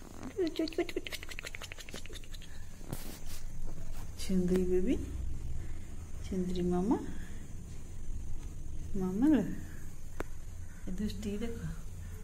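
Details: A domestic cat at feeding time, giving four drawn-out, rising-then-falling meows spaced two to three seconds apart, indoors with a steady low hum and brief voice-like sounds at the start.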